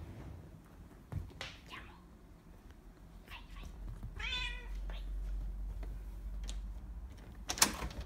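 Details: Bengal cat in an attack, indoors in a small room: scattered short cries, then a drawn-out harmonic yowl near the middle, a few brief squeaks after it, low steady rumble underneath and a sharp knock near the end.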